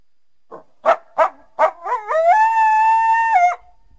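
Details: Backyard winter recording of a coyote calling through the trees: four sharp barking yelps in quick succession lead into one long, even howl lasting over a second.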